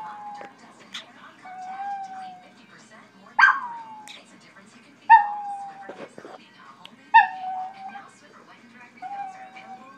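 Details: A Chihuahua watching his favourite television commercial, giving sharp yips that slide into long, thin, level whines, repeated every couple of seconds over faint background speech and music.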